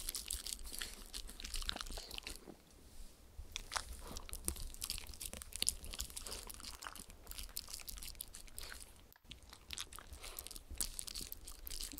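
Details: Two dogs, a Shetland Sheepdog and a miniature Schnauzer, lick and chew treats off an acrylic sheet, giving sharp crunchy smacks and wet licking clicks across the clip with no vocal calls.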